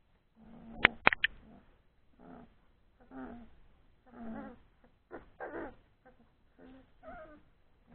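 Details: Old English Sheepdog puppies, three weeks old, playing after a meal: short whiny and growly yelps in scattered bursts, with several sharp clicks near the start.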